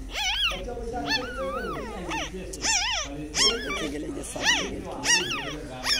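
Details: Dog whimpers near a mother dog tending newborn puppies a day old: a run of thin, bending whines that climb and dip in pitch, uneven in spacing, mixed with background voices and soft music.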